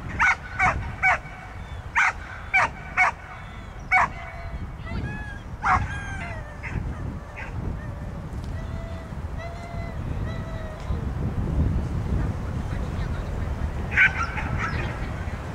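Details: Pit bull named Brave Fighter's Odree at an autumn dog frisbee accuracy competition, "Osenniy Vals" (Autumn Waltz), barking in a quick series of sharp barks during the first six seconds, then quieter yips amid crowd murmur and outdoor background noise.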